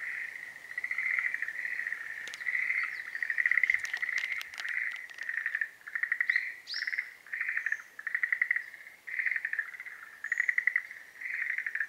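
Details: Schlegel's green tree frogs in breeding season calling in repeated pulsed bursts, each a rattling croak of several rapid notes, roughly two per second, with overlapping callers and a few faint higher chirps and clicks.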